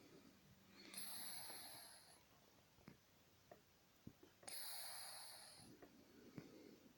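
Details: Titan, a 31-year-old Scottish Fold cat, sleeps through a daytime snooze and snores lightly indoors. Two soft, breathy hissing snores come about three and a half seconds apart, with faint small clicks in the quiet between them.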